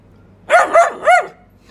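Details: Male Euro Doberman giving barks on command, no treat offered: three short, evenly spaced barks, each with a rising then falling pitch, following a man's spoken praise.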